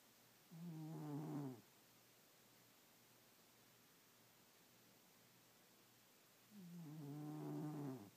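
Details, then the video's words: A domestic cat asleep at night snores: two long, low, harmonic breaths about six seconds apart, each rough and droning for roughly a second, with near silence in between. "SNORING CAT"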